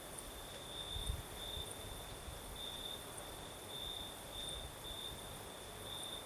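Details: Crickets singing at night in the south, Crimea, with a night breeze: a steady high-pitched trill holds throughout beneath a faint, even higher shimmer, over soft windy rustle and a brief low thump near the start.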